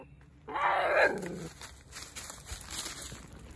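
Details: Mudhol Hound; bark; keeping watch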